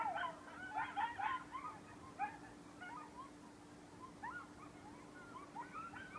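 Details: A group of coyotes in the front beach forest on Sullivan's Island, South Carolina, chorus with high, wavering yips and short howls, overlapping and rising and falling.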